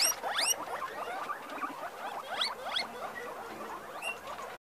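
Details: Guinea pigs at Granja Camero, improved giant-breed females of the Peru, Inti, Andina and Inka lines, August 2015: many overlapping high, rising squeaky squeals and chirps, a busy chorus of several animals with rustling behind.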